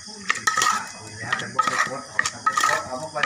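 Kitchen clatter of dishes and utensils with some speech and sizzling, and no animal calls.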